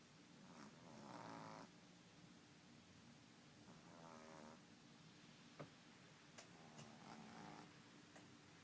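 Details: A 10-week-old French Bulldog puppy gives its first snore, soft with rough, rattling breaths in uneven bursts.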